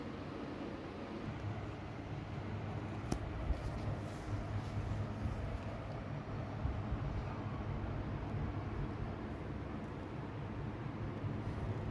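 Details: Steady low rumble and hum with faint indoor background noise and a single soft click; no animal voice is heard.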